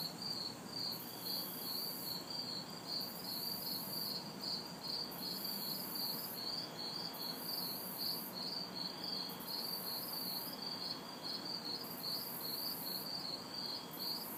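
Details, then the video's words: Humid summer night in a city backyard with crickets and cicadas: a rapid, regular high chirping pulse runs throughout while very high buzzing cuts in and out in repeated bursts, with distant traffic as faint white noise. "Summer Night Sounds ~ Crickets, Cicadas"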